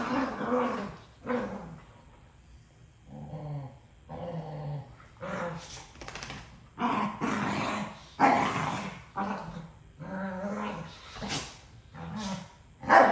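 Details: Two dogs arguing over who gets a toy: long rumbling growls alternate with harsh snarling barks in irregular bursts, the scuffle rising and falling over several seconds.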